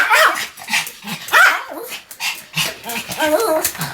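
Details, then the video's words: Sam, a pet Pomeranian, barking in repeated bouts: sharp, high, yappy barks in clusters with short pauses between, about fifty a minute, with faint human voices in the background. "犬の鳴き声 ポメラニアン サムちゃんの連続吠え集"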